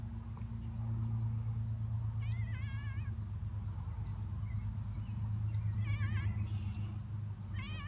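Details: Stray cats being fed outdoors give short wavering meows, three or four in quick bursts, over a steady low hum and faint repeated high chirps in the background.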